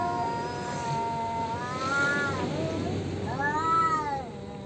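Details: Male domestic cats yowling at each other in a fight over territory: long drawn-out wavering wails with rising and falling harmonics, one swelling cry near two seconds and another arching howl near four seconds, over a low background hum.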